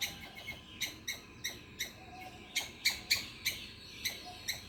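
A squirrel calls in quick, sharp chips, about four a second, bright and clicking rather than tuneful. The notes come in an uneven, chattering run over a faint background hiss.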